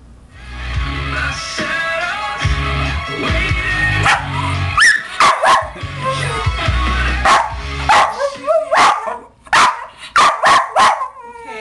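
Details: A West Highland White Terrier barks in sharp, repeated bursts as the band Far's cover of the song "Pony" plays, a song he reacts to unlike any other.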